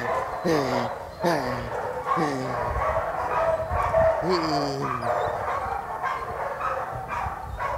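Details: Aggressive sport dog attacking at Vom Almere Dog Training Centre, Indonesia: four loud, clipped barks sliding downward in pitch, spaced irregularly over a few seconds, with a voice in between and steady background noise.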